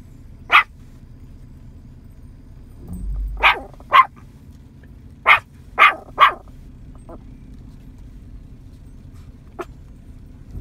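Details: A nine-month-old Yorkie calls in cows spread across a field, barking in uneven bursts: single sharp barks and a quick run of three, with a brief low rumble early on and quieter yips near the end.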